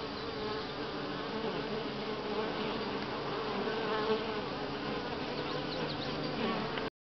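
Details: Continuous hum of many honey bees at Grass Lake Sanctuary, July 25, 2011, week six, a thick low buzzing drone that stays level across seven seconds before cutting off abruptly at the end.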